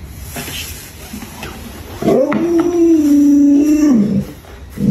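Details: Luoluo, a pet Alaskan Malamute, reacts indoors while its owner lies sick in bed, giving one sustained, steady howl of about two seconds that dips slightly before ending, preceded by faint indoor background sounds.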